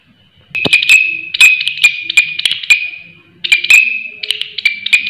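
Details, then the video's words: A loud grasshopper produces rapid, piercing buzzy trills with a steady high ring, pulsing in quick sections. It calls almost continuously for about three seconds, pauses briefly, then resumes with more shrill pulsed buzzing. "Belalang Suara Nyaring"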